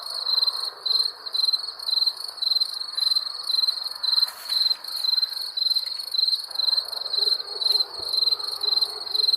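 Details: Wild crickets sing sharp, high chirps in an even beat of about two per second, each a quick pulsed trill, with a faint rustle partway through.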